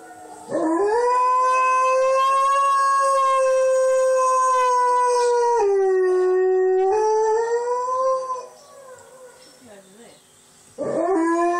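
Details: Alaskan Malamute named Blade, a pet, joining in with a wolf chorus playing on TV: a long, steady, tonal howl held for about eight seconds, dipping lower midway, then a fresh howl rising at the end.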